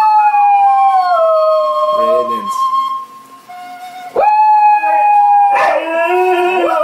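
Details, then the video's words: Two pet dogs howling together as they sing along to a favourite song; long sustained tones that slowly glide downward, broken by a short pause, then a second voice rising sharply into another held howl, with overlapping wavering notes at the end. "Dogs sing along to their favorite song"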